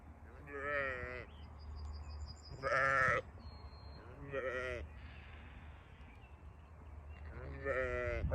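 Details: Farm sheep bleating repeatedly, four separate wavering bleats spread across the stretch, one much louder than the rest, over a low steady background hum.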